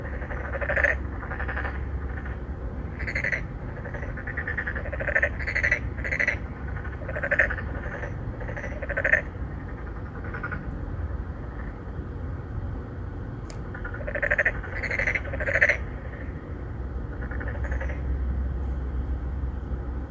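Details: Three to four narrow-mouthed frogs calling to attract females from an apartment-complex pond in Songdo, Incheon, Korea, 2019, recorded on a Galaxy Note9; short nasal croaks with bright harmonics, repeated in quick overlapping bursts over a steady low hum.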